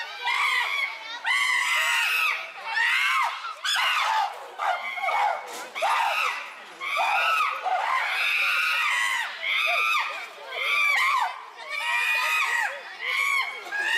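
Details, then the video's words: Chimpanzees in an uproar at Tama Zoological Park, filmed June 2022: a loud, continuous chorus of overlapping shrill screams and hooting cries that arch up and down in pitch, swelling in bursts roughly once a second with brief dips between. "The chimpanzees are in an uproar."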